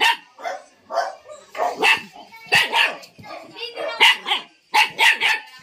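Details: Tiny female Rottweiler puppy barking: a quick run of short, high yapping barks in bursts, about nine in five seconds, while a person calls to her and talks throughout.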